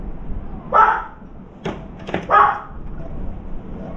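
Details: Two harsh dog barks, heard as a round-foreheaded crow is startled at a veranda where a trapped turtle dove flaps; sharp knocking clicks fall between the barks.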